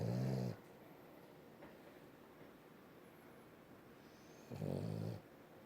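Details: A French bulldog snores loudly while held in its owner's arms, each breath a low, rattling rumble lasting about half a second, with long quiet pauses between snores.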